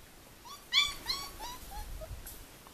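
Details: Whines from four-week-old puppies of the Formule 1 litter, Callie, at Le Domaine des Pertins. A loud bright squeal comes first, then a string of softer whimpers that slide downward and fade over two seconds.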